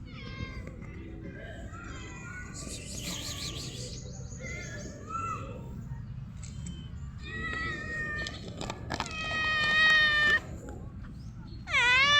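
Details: Stray cat that gave up hunting a bird once offered food: several drawn-out harmonic meows, strongest and most sustained near the end, with a sharp rising cry closing the clip over a low background rumble and faint voices.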